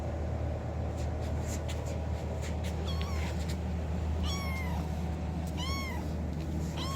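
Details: Kitten meowing to get its owner's attention, four short high meows in the second half, rising then falling in pitch, coming in quick succession over a constant low mechanical hum with scattered clicks earlier.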